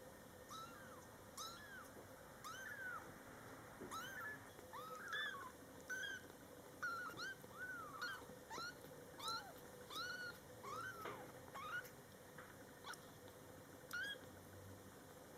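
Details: Young Scottish Fold kittens, born July 22, 2012, in their first month of life, meowing steadily beside their mother cat. They give many high, thin, rising-then-falling mews, often several per second, overlapping in quick succession over faint household hum.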